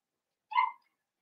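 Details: A single short yelp from one of five blenheim Cavalier King Charles Spaniel puppies in an indoor puppy pen, born on New Year's. The call is harmonic and mid-pitched, lasts about a third of a second, then silence.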